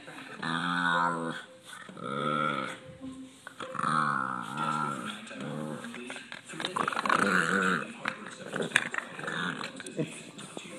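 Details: Irritated pet Boston Terrier disturbed while relaxing gives a strange guttural noise, a series of moaning, wavering growls rising and falling, repeated every second or two, with a person's voice talking at times.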